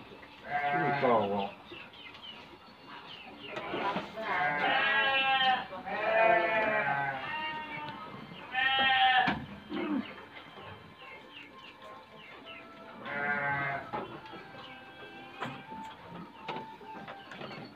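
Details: Bred F2 black-headed Dorper sheep in a breeding pen bleat in loud, wavering, harmonic bursts around one, five, six, nine and thirteen seconds, with background music and fainter voices between calls.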